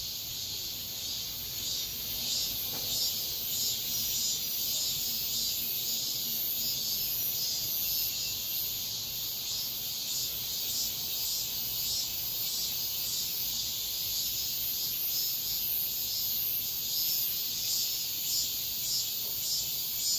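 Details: Midsummer dawn cicada chorus, a steady, piercing high buzz layered with rhythmic throbbing surges roughly every half-second to second, continuous for the whole stretch against a quiet background.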